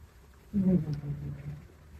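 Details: Mame Shiba puppy named Donguri snoring while asleep indoors: one low, rough, droning breath of about a quarter second that fades into a quieter rumble, with a faint room hum behind.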